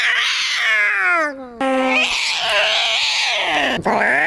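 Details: Maxwell the cat screaming loudly, long harsh yowls that slide downward, then a sustained wavering cry and a sharp rising squeal at the close.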